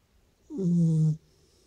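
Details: Sleeping Beagle snoring: a single short, low droning snore with a faint hissy breath above it, in a quiet room.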